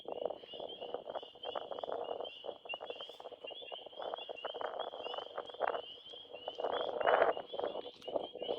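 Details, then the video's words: Dense spring peeper chorus in a Wisconsin forest in spring, heard toward night: many shrill, high, fire-alarm-like peeps overlapping in a steady ringing wall over lower crackling and rustling noise. "Hear the spring peepers. That's the sound they make."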